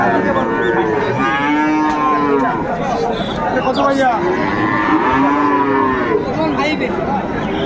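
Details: Bull calves of Friesian and crossbred types at Raniganj livestock market in Dinajpur, Bangladesh, 2 May 2024; repeated drawn-out lowing calls from more than one animal rising and falling, set against a murmuring crowd.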